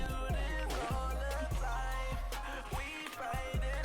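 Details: Only music is heard, with a steady bass-heavy beat and sung or rapped vocals, no animal sounds. No birds, frogs, insects or other creatures come through.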